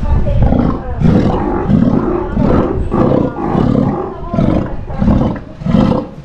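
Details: Captive adult male Steller sea lion, a father whose eyesight has worsened, kept at an aquarium in Ise and otherwise lively; rhythmic series of deep, rasping roars, roughly eight bursts in six seconds, little other sound.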